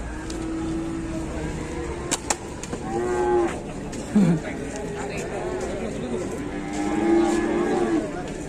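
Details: A stuck female cow, helped to her feet by dozens of villagers in Indonesia, gives long, flat, steady moos, one near the start and another toward the end, among a busy crowd of voices and shouts.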